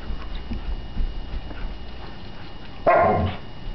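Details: A female Alaskan Malamute puppy lets out a brief, wavering roo, a tonal howl-like yodel rising and falling in under a second. She is frustrated at being unable to pick up a bowling ball, after a stretch of soft knocking and background hum.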